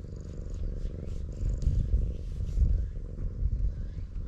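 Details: Stray cat met on a cat island, filmed on a GoPro: a low, rumbling purr-like drone runs steadily beneath the scene, pulsing roughly once a second, with faint higher rustles and soft handling noise above it.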